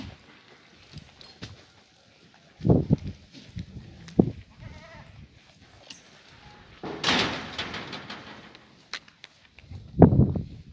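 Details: French Alpine goats in Guercif give short, faint harmonic bleats amid scattered thumps and low knocking bursts, with a louder broadband rustle near the middle and another low burst at the end.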